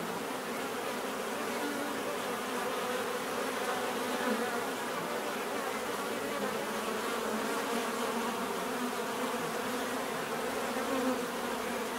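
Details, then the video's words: Bees filmed for relaxation give a steady, dense hum of many wings, low droning tones layered in a continuous even buzz with no pauses. "bees therapy relaxing natural buzzing sound"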